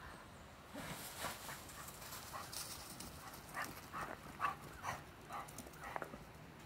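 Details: A Cocker Spaniel following a whitetail deer gives faint, high yipping barks in an uneven series, about two each second.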